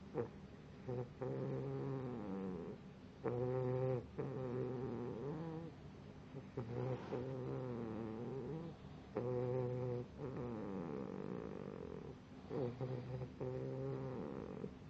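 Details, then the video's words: A sleeping pit bull puppy snores steadily, giving rhythmic, throaty, humming breaths with a wavering rasp. Each breath lasts about a second or two and repeats roughly every three seconds. "Pitbull puppy Snoring"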